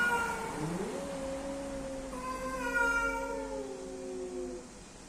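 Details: Mating cats, male and female together, trading long overlapping yowls: a low moan rising then held steady, joined by a higher wavering wail that drifts slowly downward before fading.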